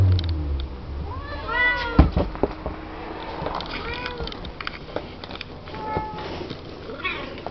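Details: Seven-week-old Siamese kittens playing in their pen; a few short arched meows come between thuds and scuffling noises, with a steady low background hum.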